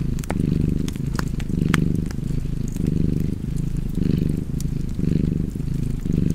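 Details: Close, steady cat purr with a fireplace crackling nearby; the low rumbling rises and falls in even breathing pulses close to once per second, with scattered sharp pops from the fire.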